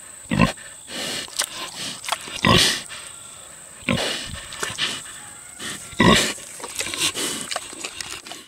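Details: Six-year-old boar pig grunting while eating tomatoes: loud broad grunts about every one and a half to two seconds, with softer smacking and chewing between them.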